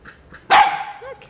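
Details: Labrador Retriever in Miami playing with a new toy gives one sharp, loud bark that trails off into a short tonal tail in a quiet room.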